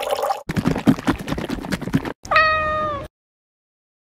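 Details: A domestic cat lets out a single clear, tonal meow lasting under a second, heard after a stretch of rustling and clattering noise, followed by silence.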